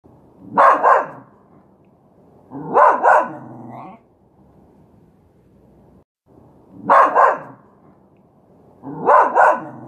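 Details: Miniature Schnauzer barking in two paired bursts: double barks at the start, a second pair about two seconds later, a quiet pause, then two more double barks. The barks are sharp and mid-pitched, with nothing else heard.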